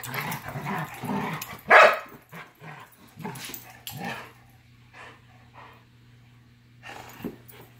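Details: Labrador facing a Giant Schnauzer: a few sharp barks, one loud peak near two seconds, then quieter scattered yips over a steady low electrical hum.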